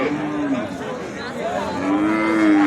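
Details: Holstein Friesian cattle, cows and calves, at the Raniganj cattle market in Ghoraghat, Dinajpur, Bangladesh: two drawn-out level moos, one short at the start and a longer one near the end, over a murmur of crowd noise.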